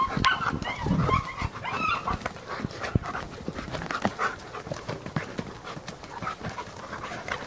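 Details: Alaskan Malamute puppies, living with their parents at a breeding kennel, give thin, high whines and short yelps amid scuffling and clicking noises.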